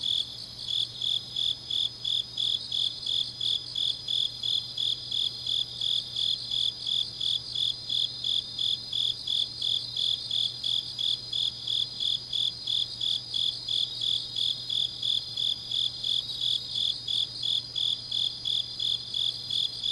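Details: Deep autumn night in Changnyeong, South Korea, with grass insects singing: a long unbroken run of shrill pulsed chirps, close to three each second, backed by a fainter high trilling insect and a low electrical-sounding hum.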